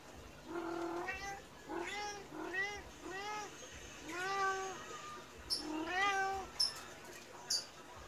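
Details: Medium Persian cat meowing insistently for food just after being fed, seeming almost angry; a run of about seven drawn-out, arching meows with rich harmonics, spaced roughly every second, over faint room noise and a few sharp clicks.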